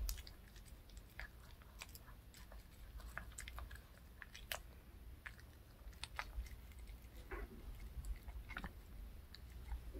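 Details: Pet dog Reka munches a handmade fish-shaped bun dog treat in a small room, steady chewing with scattered crunchy bites and sharp clicks, some louder snaps near the start and middle, low hum underneath.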